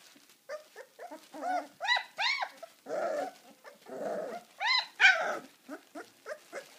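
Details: Deutsch Drahthaar dog giving a quick series of sharp yelps and short barks, mixed with a few rougher, growly bursts, several calls per second with brief pauses throughout.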